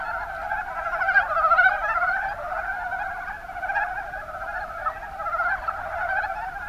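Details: Rana ornativentris, the mountain brown frog, heard en masse in Japan's Kuma Basin, Kumamoto: rapid chuckling croaks overlap into an unbroken rattling chorus, strongest around one to two seconds.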